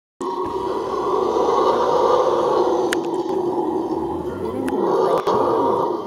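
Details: A howler monkey roars in a deep, rasping, sustained howl that barely pauses for breath, recorded 20 March 2014.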